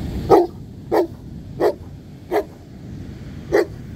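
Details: Black Newfoundland, one of two walked together at the beach, demand barking at its handler to seek connection and play: five sharp, deep single barks spaced a little over half a second apart, then a longer pause before the last.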